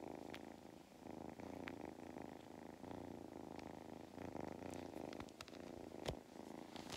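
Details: Low vibrating purr from Mustard, a cat on a County Kilkenny farm in Ireland, during belly rubs; the pulsing hum swells and fades with breathing while sharp taps and rustles punctuate it.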